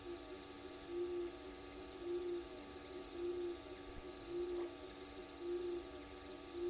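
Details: At night at the Gowrie dam waterhole on Djuma Game Reserve, South Africa, frogs in the pan give evenly spaced low mellow notes, each roughly a second apart, above a constant electrical hum.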